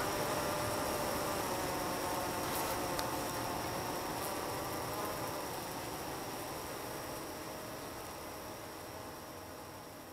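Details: A dense, steady hum of many honey bees from four hives working at night, evaporating nectar into honey, some clustered outside the hives.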